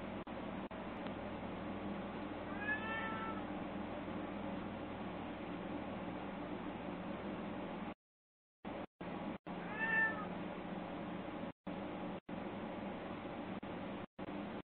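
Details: Scottish Fold kittens on a live camera, September 24, 2020, give two brief, clear meows that arc up and then down. They come several seconds apart over a low, constant room hum with a few short dropouts.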